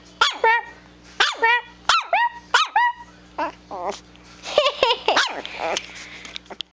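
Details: Chiweenie pup Presly, one to two months old, quarrelling with its mother: clusters of sharp high yips and small barks in quick bursts, a rougher noisy bark run near the end, low hum in the background.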